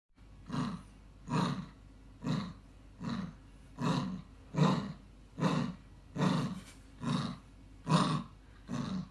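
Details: Female Maltese terrier growling to keep her chew stick, rumbling like a motorbike: low, throaty pulsed growls repeated steadily about every second, each burst swelling and fading, with no other sounds.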